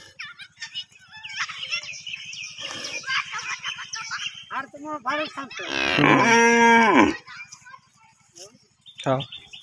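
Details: Cow recently bought and tied up in the ground, to be slaughtered later: one loud, low, drawn-out moo lasting about a second, with people talking before and after and a steady faint buzzing hum underneath.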